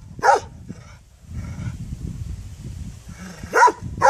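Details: Two sharp yaps from a puppy, about three seconds apart, with a steady low rumble and faint hiss between them.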